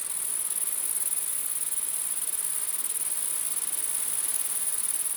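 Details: Night grasshopper chorus: a dense, even, very high-pitched buzz with a rapid pulsing texture, steady in loudness throughout.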